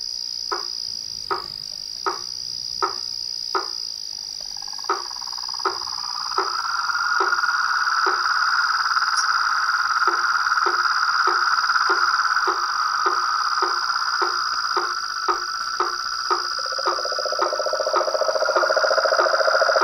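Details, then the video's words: Frogs in the wild: sharp knocking clicks repeat roughly every three-quarters of a second throughout, while a long mid-pitched pulsing trill builds from about six seconds and a lower buzzy trill joins near the end, under a steady high insect hum. "Os sons dos sapos , rãs e perereca na Natureza"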